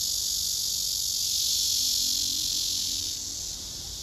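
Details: Courting male cicada serenading a female positioned beneath him as she retreats; a continuous hissing buzz, loud and steady, easing slightly softer in the final second.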